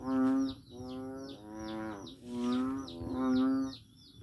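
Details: Noisy frog in Daanbantayan, Cebu: five low, nasal, bleating notes of about half a second each, repeated in quick succession. Short high descending chirps sound above, with a constant thin high tone.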